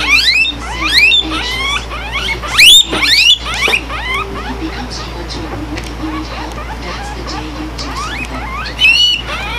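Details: Lily, a pet guinea pig, wheeking: a rapid stream of loud, high, rising squeals, overlapping and repeated many times per second, with sharper bursts near the start and end.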